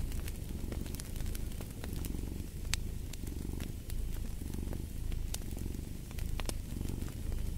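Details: Domestic cat purring beside a crackling fireplace, a steady low rumble pulsing in slow waves of inhale and exhale, with sharp wood pops and snaps scattered throughout over soft fire hiss.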